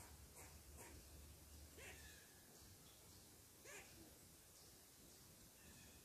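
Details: A squirrel, upset that someone is sitting on its tree, gives sharp, scratchy barks at irregular intervals over a steady hiss of background noise, before eventually climbing down to investigate.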